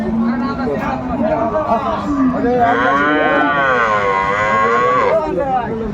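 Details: Cow with calves at the Aftabganj market, Dinajpur, Bangladesh, December 2024; a long moo starting low then rising into a loud, wavering bellow for several seconds before fading, over market crowd noise.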